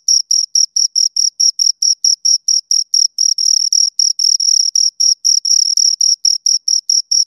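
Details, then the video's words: Crisp, high-pitched cricket chirps from two insects, evenly spaced pulses a few per second, some lengthening slightly midway, with nothing else audible. "Two Crickets Chirp Sounds"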